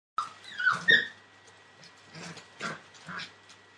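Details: Entlebucher Mountain Dog puppies, 41 days old, from a litter born 28 December 2013; high, thin whimpers and squeaks rise and fall, followed by several short, soft whines spaced about half a second apart.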